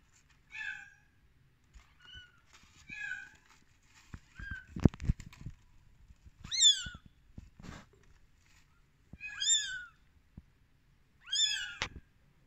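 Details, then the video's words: Thirteen-day-old rescued kittens calling indoors: a series of high, piercing mews, some soft and short, later ones louder and falling in pitch, spaced a second or two apart, with bumps and handling thuds in between. "Baby kittens in day 13"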